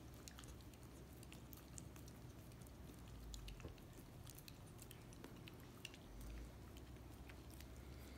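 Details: A pet Miniature Australian Shepherd puppy works peanut butter off a foot in a small room: irregular moist lapping clicks and squishy smacks, a couple of soft low thumps, over a steady background hum.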